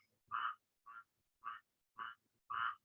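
A squirrel tree frog calls in a series of short, harsh, nasal rasps, each note repeated roughly every half second. The chattering quality resembles the scolding of a gray squirrel, which gives the frog its name.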